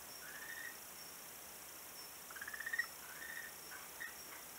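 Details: A frog on a beach, recorded 11 March 2017, gives short, pulsed trilling calls, one burst rising in loudness, over a soft steady hiss.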